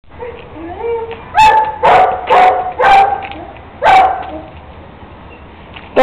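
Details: Kuvasz puppy around three months old, raised as a pet that walks the street without a leash and plays ball, barking five times in short, loud, harsh bursts over about three seconds, with softer low sounds before and after.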